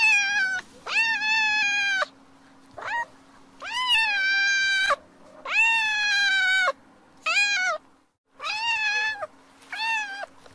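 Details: Cat meowing: six loud, drawn-out, harmonic meows, each starting with a short rise and then holding steady. They come about every one to two seconds over a faint steady low hum.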